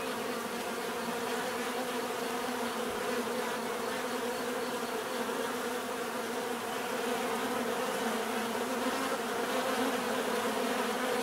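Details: Dense buzzing of bees, a constant layered drone with overlapping hums rising and falling slightly, unbroken and fairly loud across the whole stretch.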